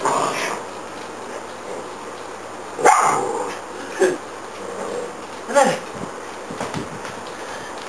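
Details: Dog at play with a zigzag ball gives three short, gruff barks spaced about a second apart, between stretches of low background hum and faint human voices.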